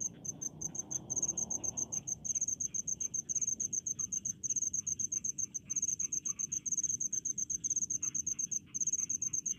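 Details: In the rice fields a cricket repeats sharp, high-pitched pulsed chirps at a steady fast rhythm, short groups following each other almost continuously, with a low murmur fading after the first two seconds.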